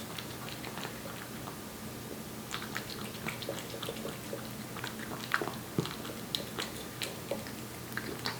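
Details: Aebbi, a one-year-old Korean Shorthair cat born July 2018, eating wet food indoors: soft, irregular smacking and clicking chews in quick bursts over a steady low electrical hum.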